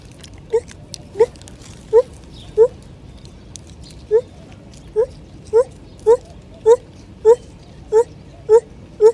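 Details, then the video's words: Lar gibbon singing: thirteen short, clear rising hoots with bright overtones, evenly spaced about every half second to second with one brief gap near the middle, over a quiet background. "Lar gibbons - amazing lar gibbons singing"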